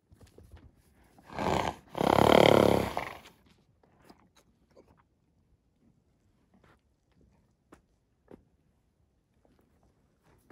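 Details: Žemaitukai horse, a Lithuanian breed, living freely in a regional park woodland in Lithuania. One loud, harsh, breathy blast lasting about two seconds, rough and broad with faint layered tones, then near silence with scattered soft clicks and rustles.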